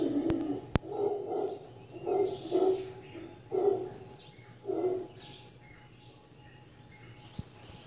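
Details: Howler monkeys heard on waking at The Sanctuary in Cabuya, Costa Rica: a series of deep, hoarse grunting pulses about every half second, fading out after five bursts, with faint bird chirps high above.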